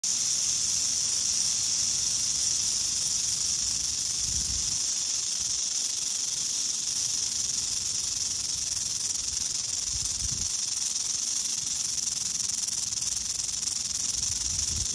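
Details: Western diamondback rattlesnake in Oklahoma on April 3, 2022, rattling: a steady, unbroken high hiss-like buzz running all fifteen seconds without pause, with faint low rumbles of handling or wind underneath.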